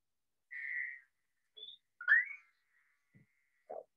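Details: A Fowler's toad gives a short, nasal, buzzy bleat, followed by a few faint chirps and clicks, with spring peepers audible in the background, in Northwest Ohio.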